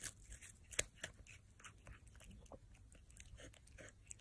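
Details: Crunching and chewing from a cat at its meal: irregular crisp clicks and bites, with one louder snap early on, steady through the clip.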